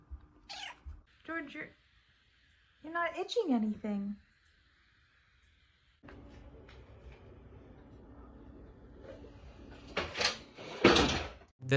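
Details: Domestic cat indoors in a small room, letting out a drawn-out, wavering meow that bends down in pitch, with brief human voices before it and a stretch of background hum and clattering noise afterward.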